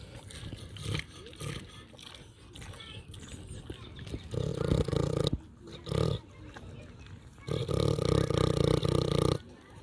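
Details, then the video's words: Snoring pig that is also eating, heard first as a soft rustling murmur and then as heavy, low, harsh breaths of one to two seconds, the last one long and hissing. "LISTEN TO PIG EATING AND SNORING SOUNDS"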